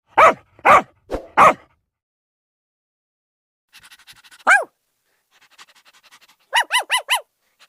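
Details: Russian dog barking: four sharp, loud barks in quick succession, a pause with faint chatter, one lone bark, then a rapid burst of four higher, clear yips near the end.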